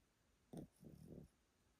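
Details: Elderly male Pomeranian sleeping indoors, kept at a relative's home in Japan: one short snort followed by a longer rumbling, low-pitched snoring breath, in a quiet room.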